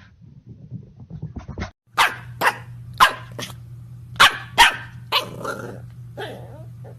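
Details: Corgi barking in short, sharp bursts, about six loud barks spaced unevenly over several seconds after softer grumbling sounds at the start, with a steady low hum underneath.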